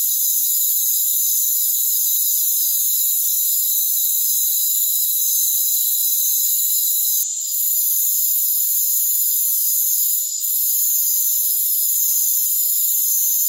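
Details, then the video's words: High, continuous cricket trilling from a rainforest, layered and even, interrupted by two brief dips in the otherwise unbroken chorus. "Rainforest Crickets"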